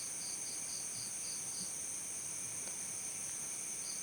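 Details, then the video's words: Cricket chirps in a brisk series of six short high pulses through the first half, a long gap, then one more pulse at the end, over constant shrill background hiss. "efek suara jangkrik"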